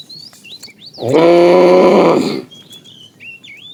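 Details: Cattle being herded in the morning, the herd roaming for food, calves among them; a loud, rough moo of about one and a half seconds, with chirping birds before and after it.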